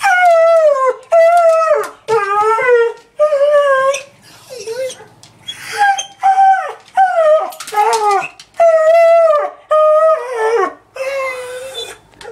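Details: Sadie, a roughly two-year-old beagle mix recently adopted from a shelter, howls indoors while stressed after the owner's mother left the house. Long wavering howls, each about a second, repeat with short breaks; some bend downward at the end.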